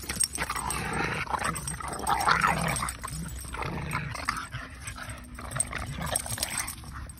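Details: Kumo the Keeshond and Sully the Boston Terrier playing tug in a huge yard; low rumbling growls come in uneven bursts several times a second, with rustling and scuffling throughout.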